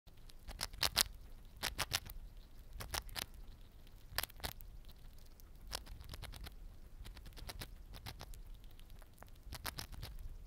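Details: A pet Siberian chipmunk crunches through a small-animal egg biscuit (tamago boro) with quick, dry clicking bites.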